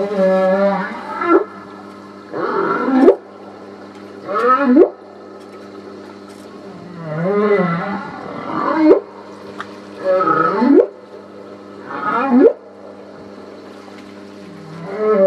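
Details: Humpback whale song from Port Stephens, NSW, Australia, 8 August 2009: a series of moaning, swooping units with wavering upsweeps, repeated roughly every two seconds, over a constant low engine-like hum.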